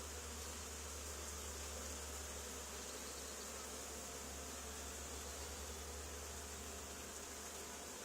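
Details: Continuous hum of a honey bee swarm gathered on an old barn wall where a hive had been removed two days earlier, recorded during removal: an even, hissing buzz over a deep steady drone, unchanging for the whole stretch.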